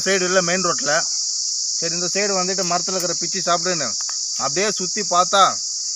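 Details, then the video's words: Cicada calling from a Manila tamarind (kodukkapuli) tree: a steady, high, unbroken metallic buzz runs throughout, overlaid by a man talking in bursts with short pauses. "Sillu vandu satham kodikka Puli marathil kettu"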